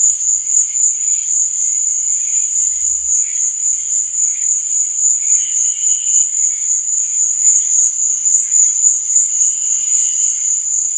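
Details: Night-time cricket chirping, a continuous high-pitched ringing trill with softer, lower intermittent chirps from other insects weaving in and out, plus a brief low thump early on.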